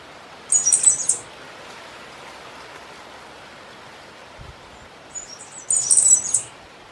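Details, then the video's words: Cigarra-do-coqueiro, a black cicada, singing a lot: two high, harsh buzzing bursts about half a second long, each made of quick pulses, separated by several seconds of quiet background hiss. "CIGARRA DO COQUEIRO CANTANDO MUITO"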